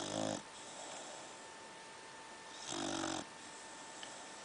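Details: Sleeping pit bull snoring indoors: two rough, buzzy snore bursts about two and a half seconds apart, with a steady electrical hum underneath.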